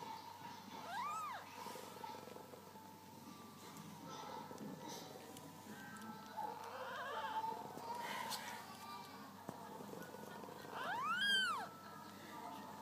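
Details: Maine Coon mother cat with her six newborn kittens in the nest; two thin, high, rising-then-falling mews about ten seconds apart over a quiet background, with soft human voices.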